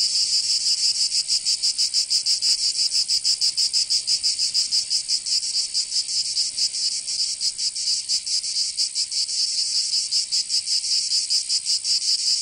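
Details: Cicadas singing in summer in Provence, southern France: a dense, high buzzing with a fast throbbing pulse, uneven in strength and overlapping as though several insects sing together. No other sounds stand out.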